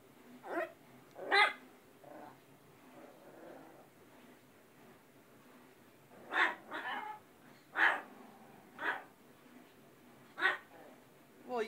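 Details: Pet dog on a talkative day, giving a series of short, sharp barks and yips in two bursts, roughly six calls spread over twelve seconds, while a woman talks to it between the calls.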